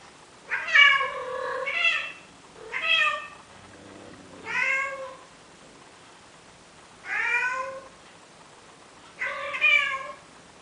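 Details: In Athens, Greece, a male cat pleading with a female Siamese cat to mate utters a series of five or six wavering meows, roughly every two seconds, with a soft low murmur in a mid-sequence pause, indoors and otherwise quiet.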